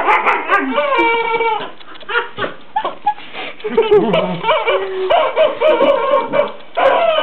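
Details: A Border Collie romping with a new chicken toy named Henrietta. Short yips and drawn-out whines come in uneven bursts, some sliding downward, with brief lulls and clicking noises between them.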